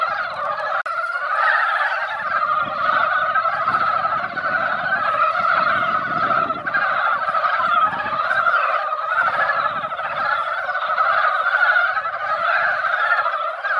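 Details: Mountain frogs massed in a formerly quiet mountain pond after drizzle, during their yearly spawning time; a continuous seething chorus of many gobbling, chuckling croaks, with intermittent low thumping noise underneath.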